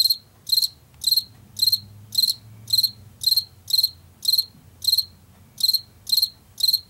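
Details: Washington field cricket chirping at an even pace of roughly two chirps per second. Each one is a crisp, high cluster of three to four pulses, with a soft low hum running underneath.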